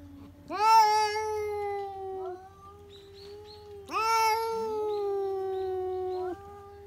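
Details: Pet cat shrieking without warning, mostly because it has spotted a cat outside; two long rising-then-sustained howls, each sliding up sharply and held for about two seconds, with quieter moans between.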